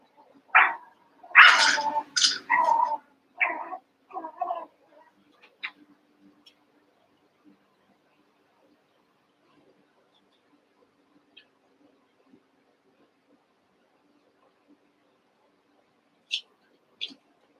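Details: Cavalier King Charles Spaniel puppies, Daisy's six merged with Robin's two pups during play: a cluster of shrill, high yelps and whines crowds the first five seconds, then near quiet broken by faint taps and two brief squeaks near the end.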